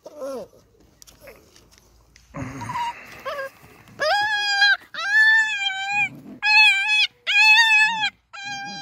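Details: Beagle puppies playing outside in their enclosure; after a soft voice and some rustling, a run of five high, drawn-out tonal whines or yelps, each about half a second long, comes in quick succession.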